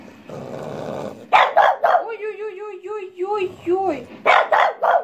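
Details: Pet French Bulldog, female, vocalising along to a pipe tune. Choppy barks open into a wavering, yodel-like howl that rises and falls for about two seconds, then more rough barks close, amid low indoor noise and human chatter.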